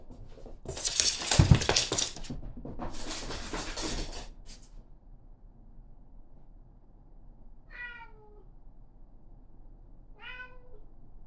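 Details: Karen, a female Somali cat, waits outside the toilet and grows affectionate. A loud rushing burst of noise fills the first four seconds, then quiet, then two short, bright, wavering meows spaced about three seconds apart.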